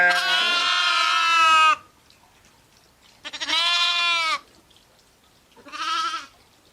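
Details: Sheep, ewes and lambs together, giving three harmonic bleats: a long wavering one of nearly two seconds, then two shorter ones, each separated by quiet pauses.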